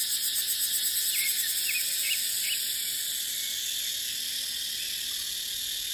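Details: A dry-season dipterocarp forest rings with cicadas, their high buzzing pulsing quickly during the first two seconds before settling into a steady hiss. Several quick bird chirps sound in between.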